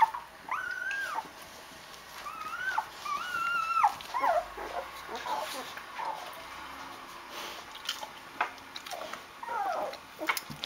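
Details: Rhodesian Ridgeback puppies, day eight, sleepy with full bellies in their litter box: long drawn-out whines that rise and fall in arcs, followed by softer scattered squeaks and faint rustling.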